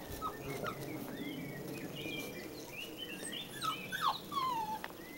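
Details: Rhodesian Ridgeback puppies outdoors give high, wavering whines and short yips, some rising then sliding down, overlapping in quick succession over a steady low background hum.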